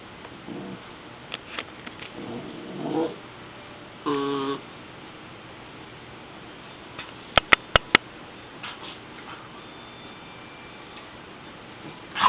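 A pit bull puppy makes a brief, high whining yelp with a bright, nasal tone, preceded by softer grumbling noises. Several sharp clicks or taps follow, with faint music and a person's voice in the background.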